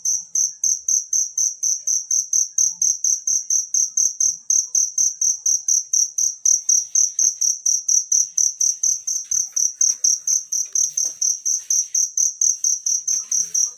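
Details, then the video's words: Natural cricket calling, used for tutoring songbirds: a steady high-pitched chirp repeated about twice a second, each pulse sharp and even, with faint low background sounds. "suara jangkrik alam"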